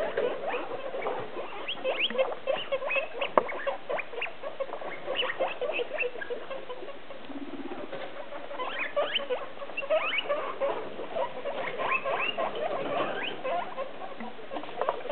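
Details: Guinea pigs, six of them, kept in three holiday cages and calling out hungrily as dinner time nears: continuous overlapping squeaks and chirps with brief louder bursts and some rustling.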